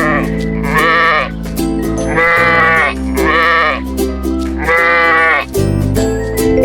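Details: Sheep bleating over steady background music: four drawn-out, wavering bleats, each about a second long, spaced roughly every one and a half seconds.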